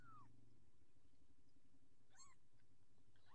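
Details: Orange Persian kitten, still growing, gives a clear high mew that slides downward, then after a pause two more short harmonic mews, over a low steady hum.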